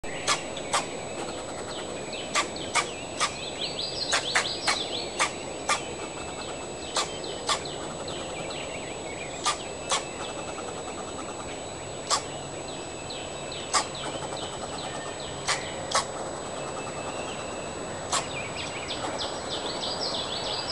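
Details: A young, not yet full-grown fox squirrel, upset while searching for food in a backyard and recorded with a digital camera, gives sharp, abrupt chucks at irregular intervals of about a second, over steady hiss and chirping birds.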